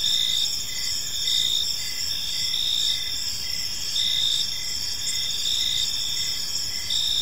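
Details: Park crickets at evening give a continuous high trilling chorus, loudness rising and falling in pulses just over a second apart, with steady overlapping insect tones and little else heard.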